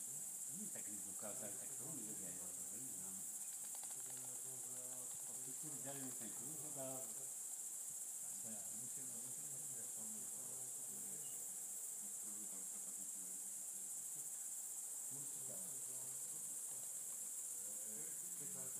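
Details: Greater mouse-eared bats at Ratkova: dense, constant chatter of many overlapping short squeaky chirps, some rising and falling in pitch, over a steady high hiss.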